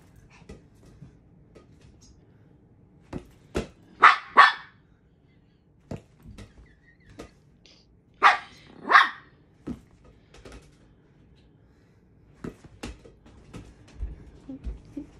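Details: Maltese dog playing with a ball alongside its owner indoors; short sharp barks in loose pairs around four, eight and thirteen seconds, with thuds and small knocks from play between them.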